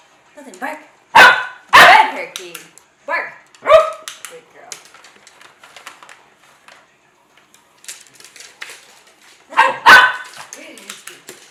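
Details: Two Cavalier King Charles Spaniels give loud, sharp, excited barks in short bursts while being chased around a kitchen island during bark-on-command training, with a person talking between barks.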